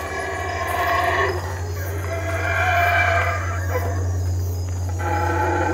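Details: Howler monkeys in the Belize treetops give boisterous, drawn-out roaring calls in overlapping waves, rising and falling in loudness over a steady low background hum.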